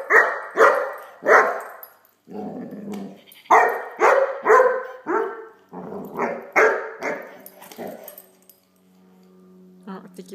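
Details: Playful Great Dane puppy Blacky barking at a toy dog in a rapid irregular series of about a dozen sharp barks, mixed with a low growl and a brief human voice.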